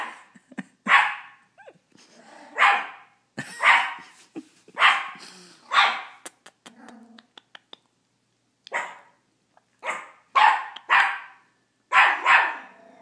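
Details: Teacup Miniature Pinscher, a male dog, barks repeatedly at his own reflection: about a dozen bright, sharp barks in uneven bursts, mixed with light clicks and taps, with a brief quiet spell midway.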